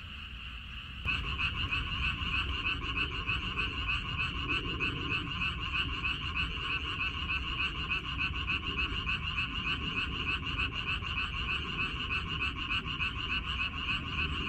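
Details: Dense frog chorus from a water dropwort field, recorded 14 May 2021: after a quiet first second, many frogs burst in with fast, regular rattling croaks that merge into a loud unbroken din, with low background rumble.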